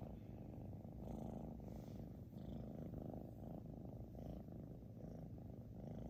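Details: Xiaoguai, a British Shorthair cat, snores heavily. Deep, grainy rumbling swells and fades in breath-length cycles of about a second, continuous throughout in a quiet setting.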